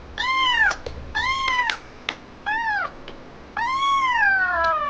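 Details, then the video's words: Crying kitten that stops only when touched, giving four loud, clear meows: short arched cries with a rising-falling pitch, then a longer call that slowly slides downward; a few sharp clicks between them in a small quiet room. "My Kitten Stops Crying Only When I Touches Him"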